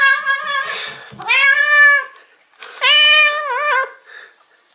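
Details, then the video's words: Domestic cat meows meant to draw cats near: two long harmonic calls, the first rising then steady, the second level with a wavering, warbling finish, after a short noisy start. "Meow Sounds That Instantly Attract Cats"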